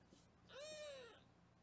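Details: Single kitten meow from a litter of foster kittens being weighed indoors in Los Angeles: one clear, arched, slightly falling mew lasting about half a second, over a quiet room hush.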